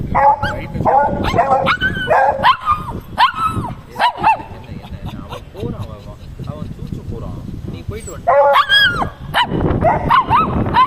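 A Shih Tzu gives a run of whiny, yelping vocalizations, with people talking over it.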